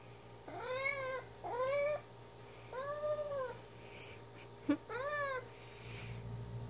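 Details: Four arched, tonal meows in quick succession from Ginger, a pet cat playing fetch with her favourite toy, with a brief clatter of the toy between them and a voice saying "Good job" at the end.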